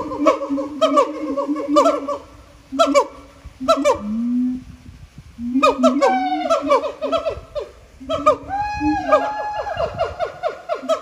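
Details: Singing siamangs filmed at Japan Monkey Center, voices swollen by throat sacs: bursts of staccato barks separated by pauses, a low drawn-out tone near the fourth second, then rising, accelerating whoops and barks building to a climax.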